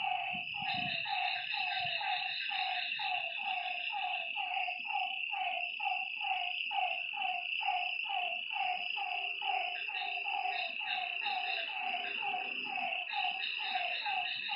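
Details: Lakeside night frogs produce repeated nasal croaks in a steady overlapping chorus, a high continuous insect whine behind them and a short low rumble at the start.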